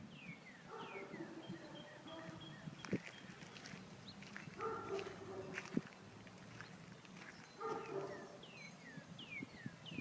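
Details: Dog confined in a garage responding to its name, heard at a distance: three muffled, whining barks spaced a few seconds apart, with small birds chirping and scattered knocks around.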